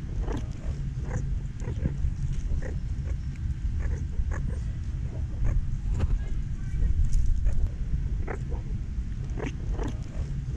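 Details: A group of meerkats munching at the San Diego Zoo gives quick soft chirps and grunts in uneven bursts among sharp crunching clicks over a low steady drone.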